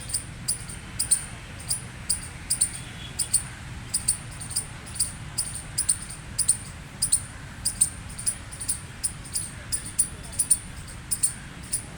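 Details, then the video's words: Gray squirrel giving loud chirping, squawking calls: short sharp high chips, often in close pairs, repeated steadily about every half second over a low background rumble. "Gray Squirrel Chirping Noise Loud | Squirrel Squawking Sound"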